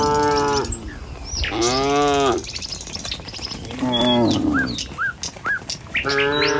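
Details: Tame cattle in a herd walking along a village road in the morning, heading to their pen. Four long, deep, harmonic moos rise and fall, each lasting under a second. Between them come brief, high bird chirps.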